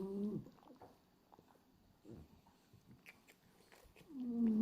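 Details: Sleeping French Bulldog Hachi, a pied black-and-white male, snores with his tongue flapping. A buzzy, nasal inhale opens the recording and another begins at the end, with a quiet room and soft clicks between them.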